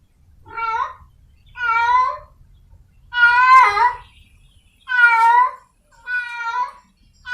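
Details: Repeated meowing of a wild cat in heat seeking a mate: six bent, wailing calls about a second apart, some rising then falling, with faint low rumble early on.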